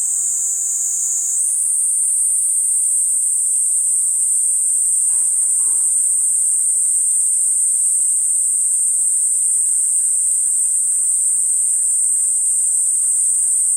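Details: Platypleura kuroiwae cicada producing a steady, piercing high-pitched buzz, slightly lower for the first second and a half then rising and holding unbroken; a brief soft knock midway.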